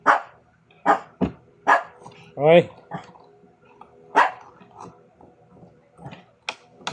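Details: Pet Shih Tzus at home barking and making noise while their owner prepares squash for their dinner; short sharp barks repeated irregularly, with one higher whining yelp mid-clip and a person speaking Filipino.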